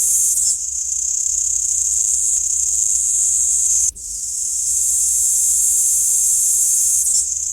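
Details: Grasshopper stridulating: a steady, very high-pitched hissing buzz runs almost without pause, briefly dipping near the middle before resuming at full strength, with nothing else audible beneath it.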